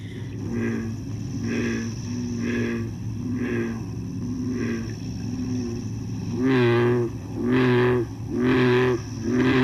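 Deep, resonant bullfrog calls, a low droning 'jug-o-rum' repeated about once a second.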